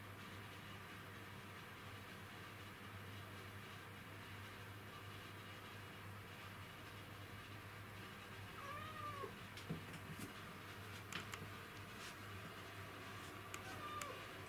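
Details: Black cat in hunting mode trying to get an insect, recorded 20 August 2017; a soft, short, arching meow around nine seconds and a fainter one near the end, over a steady low hum with scattered clicks.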